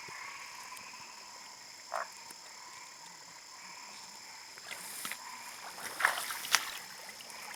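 A steady chorus of toads hums at several pitches, broken by a brief croak and a few sharp clicks.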